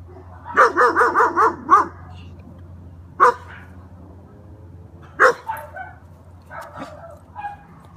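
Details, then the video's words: German Shepherd puppy, male, giving a quick run of five high yappy barks in the first two seconds, then single sharper barks around three and five seconds, with softer yips later and a low steady hum behind. "My bad ass german Shepherd puppy"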